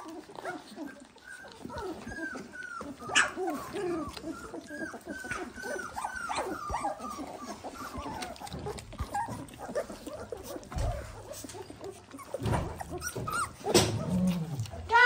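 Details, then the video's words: Several Dalmatian puppies, 18 days old, push in around their food. Rapid thin whimpers and squeaks repeat over and over, then lower, rougher grumbles surface toward the end, with the owner chatting nearby. "18 day old Dalmatian puppies"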